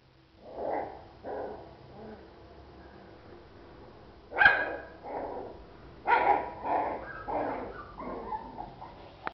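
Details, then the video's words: Cocker Spaniel puppies giving a run of short, uneven yips and barks, about ten in nine seconds, the loudest near 4.5 and 6 seconds, over faint background hum. "CACHORROS COCKERS SPANIEL"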